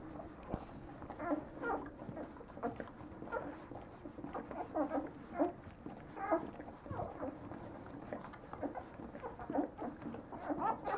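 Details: Leonberger pups at nine days old whimper and squeal almost continuously, short thin cries repeating irregularly over soft movement noise, several voices overlapping.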